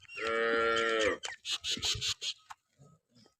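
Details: Jersey Friesian cross cow in Pakistan, filmed for sale, lets out a strong steady moo of about one second, then a string of short clattering knocks and softer rustles follow.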